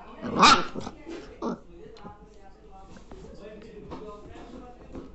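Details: Two-month-old Labrador Retriever puppy barking for the first time: one short, sharp, loud bark near the start, a second softer yelp about a second later, then quieter murmuring human voices and faint rustling.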